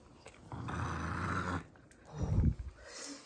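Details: Kongzi, a six-year-old female pug, growls over a bone treat indoors: a steady low rumbling growl of about a second, then a shorter, lower grumble, in a quiet room.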